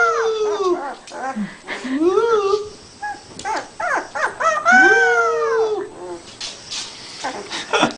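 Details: Puppy being taught to howl, copying its owner: a run of wavering, rising then falling howls with bright overtones, some drawn out and others short, broken by brief pauses.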